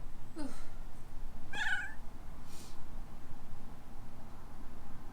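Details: Young female rescue kitten in Hawaii, indoors, reacting to her owner's sneeze: a sharp sneeze-like burst, then one short, bright meow, with a faint breathy sound after it over a steady low hum.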